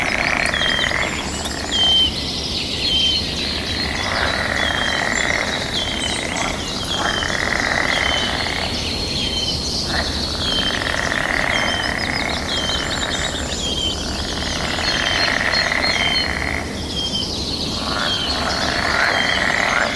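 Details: Breeding-season frogs calling back and forth in waves of high trilling that swell and break off every few seconds, with frequent bird chirps and whistles among natural sounds.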